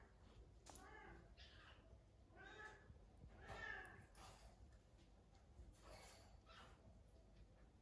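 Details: Naomi, a house cat sharing a home with other exotic animals, meows indoors in a run of drawn-out, harmonic-rich cries spaced roughly a second apart, then tapers into quieter calls over low household rumble.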